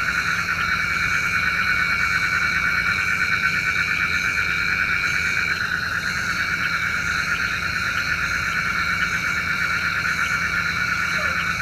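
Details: Frogs at night, their calling said to bring rain, form a thick wall of fast, pulsing trills in overlapping high-pitched bands that continues evenly throughout, with a low background hum.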